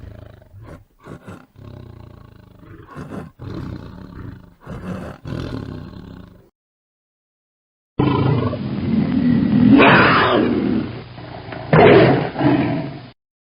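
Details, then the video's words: Tiger growls in a run of short, rough, throaty bursts for several seconds, then after a pause a long, raspy, powerful roar that swells twice. The sound is dry, with no background. "Tiger noises, tiger growling sounds, and tiger roar sound effect"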